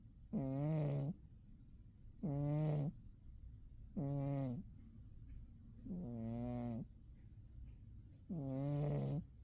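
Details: Winter nap of the cat Umi: five low, rasping snores roughly every two seconds, some slightly wavering in pitch, over a faint hum of the room.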